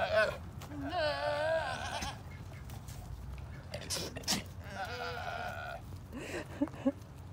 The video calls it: Mia the chubby goat making funny noises!